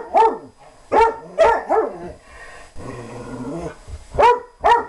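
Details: German Shorthaired Pointer playfully chasing another dog, mixing sharp harmonic barks with a drawn-out low growl in the middle, then two more quick barks.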